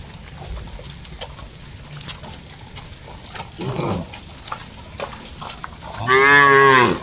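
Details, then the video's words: Cattle grazing in a broad plantation while being herded, a faint short low grunt followed near the end by a loud, wavering harmonic moo, with a steady background hum throughout. "Vidio mengembala sapi lembu di kebun yang luas, suara sapi"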